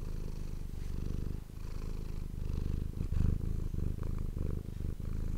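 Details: Deep, continuous purring of a domestic cat recorded close up, a rumbling drone rising slightly in loudness midway, with soft thumps and faint fur rustling.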